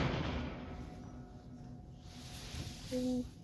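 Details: Soft background music and faint speech, with a short steady tone near the end and no animal voice.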